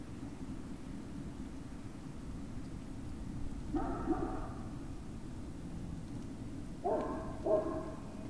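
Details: Great Dane puppies at Puppy Hill, 19 February 2019, evening between 19:45 and 20:45: a short whining yip near four seconds, then two quick harmonic yelps close together near seven seconds, over a steady low rumble.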